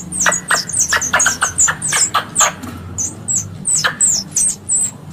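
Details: Squirrel calls used as a hunting lure: rapid, very high, sharp chips falling in pitch, delivered in an uneven rapid series of about twenty notes with short pauses, some doubled, over a faint low hum.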